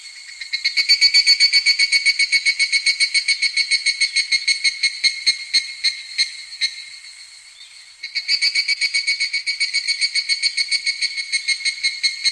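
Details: Evening cicada in midsummer singing pulsed ringing phrases, about four beats per second; the phrase softens and dies away near eight seconds, then a fresh loud series starts.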